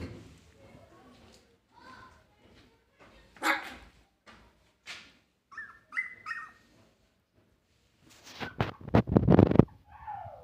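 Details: Three-week-old Siberian Husky puppies play-fighting; scattered squeaky whines and short rising yelps, then a loud burst of sharp barks and squeals near the end, with quiet gaps and faint speech between.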